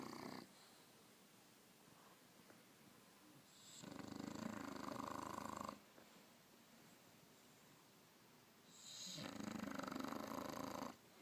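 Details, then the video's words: Bulldog asleep indoors, snoring in two long rasping breaths about five seconds apart, each a broad noisy rumble lasting roughly two seconds, with quiet pauses between. "bulldog snoring"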